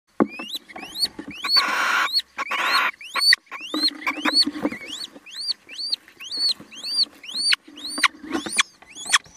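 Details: A mouse during an attack, giving a fast series of sharp, rising, harmonic squeaks, close to two each second and mostly high-pitched, with a few bursts of broad rustling noise between them.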